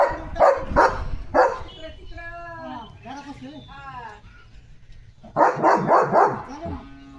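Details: Leo the German Shepherd, eager for a chicken chips treat, gives quick rough barks at the start, a stretch of human speech in the middle, then a rapid burst of barking near the end.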